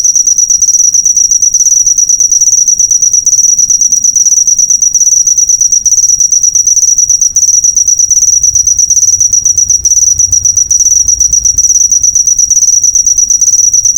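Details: Master recording of a cricket for teaching songbirds: rapid, shrill, high chirps that run nearly unbroken, rising and falling slightly in loudness, over a soft low background hum.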